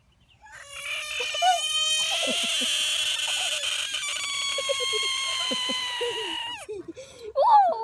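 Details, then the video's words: American bullfrog giving a long, loud, nasal scream lasting about six seconds at a steady pitch with rich overtones, then breaking off into short gurgling, bubbling notes and a final squeak. "Screaming Bullfrog"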